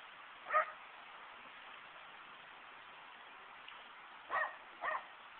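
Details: Dogs greeting their owner on arrival home from work: three short, excited yips, one early and a quick pair near the end, over a steady background hum.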